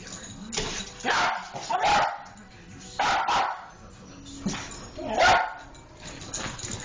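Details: Jack Russell Terrier chasing a laser pointer up a wall, barking in sharp bursts, some doubled, roughly every one to one and a half seconds, with quieter scuffling between barks.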